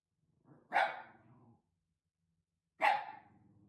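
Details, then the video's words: Maruko, a Shiba Inu house watchdog roused from sleep one night, gives two loud, harsh barks about two seconds apart, each trailing into a low rumbling growl, in a quiet room. "『寝ぼけの番犬』 何もなかったかのようにその場で就寝 （柴犬 自宅警備員）"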